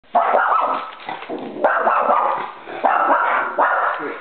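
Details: A four-year-old female eski-poo dog indoors barks while reacting to sound effects played from a computer: loud, sharp barks in five separate bursts over four seconds, with people talking nearby.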